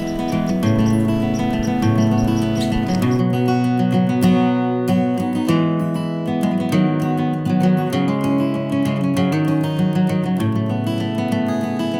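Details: Acoustic guitar music with strummed and plucked chords fills the whole stretch, and no animal voice can be picked out.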